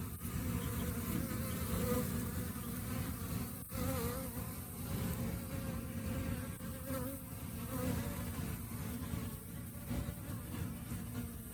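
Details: Honey bee colony during the rainy season, when flowers vanish; a thick, droning low hum holds steady for the whole stretch, with a faint wavering tone above it and one sharp click near the middle.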